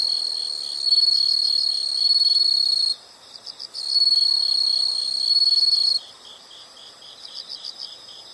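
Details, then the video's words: Chorus of insects: two loud, high continuous trills of about three and two seconds, broken by a brief pause, with gentle pulsed chirping underneath and after. "the sound of insects"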